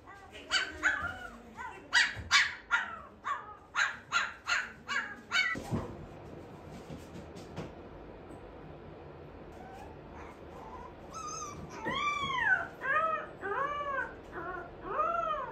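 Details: Shiba Inu puppies, indoors, trying weaning food for the first time: a rapid run of short, sharp, harmonic yips roughly every third of a second for five seconds, a pause with soft rustling, then repeated arching, rising-falling whines.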